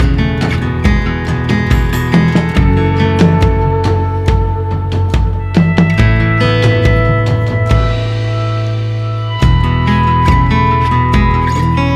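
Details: Guitar and drum music plays throughout, with plucked notes and steady bass beats and no animal calls.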